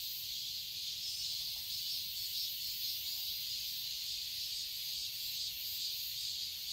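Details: Continuous high-pitched buzzing of cicadas in a Seoul, Korea garden during summer, a dense shimmering drone with mild rhythmic swells and nothing else prominent.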